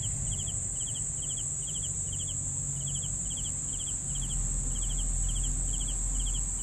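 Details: Crickets for sleeping, chirping in a steady rhythm: short trilled chirps of a few pulses each, repeated about every half second, with a continuous high buzzing drone and low background rumble throughout.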